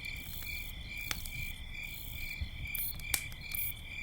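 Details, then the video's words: Night crickets near a campfire give a continuous, high, steady ringing trill in several pitches. Occasional sharp pops and snaps of burning wood and a low crackling hiss sound below. "campfire night sounds - with owls and crickets"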